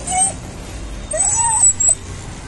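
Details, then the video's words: Happy stray street dog crying in greeting as it seeks a person's attention: two drawn-out nasal whines, the second longer and arching up then down, over a low background hum. "Stray dog came running and started crying after seeing me."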